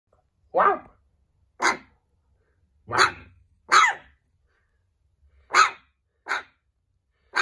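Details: Small puppy barking back and answering a person: short, sharp yappy barks, seven of them spaced roughly a second apart, bright and high, in a quiet room.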